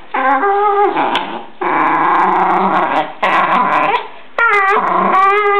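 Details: Jack Russell Terrier in Verona, described as a nervous, aggressive little dog, gives drawn-out growling whines with clear harmonic tones, some rising and falling, in three long bouts separated by short pauses.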